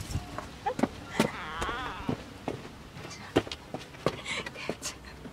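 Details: Simba, a pet cat that is afraid of showers, about to be bathed: a wavering harmonic meow of under a second, with footsteps, clicks and a person talking around it.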